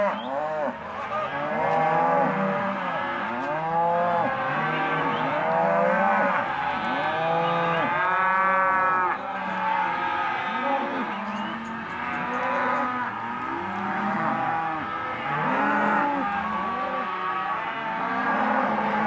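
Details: Lot of half-tooth Hereford and Careta cows at a cattle auction, many animals lowing at once: short arched moos overlapping in a dense, continuous chorus for the whole stretch, with no clear pauses.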